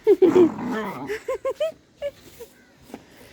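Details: German Shepherd named Julie, playing and fussing over a blanket indoors, gives a run of short, high, arched whining yelps, several close together, then scattered quieter ones, with a woman speaking Telugu briefly at the start.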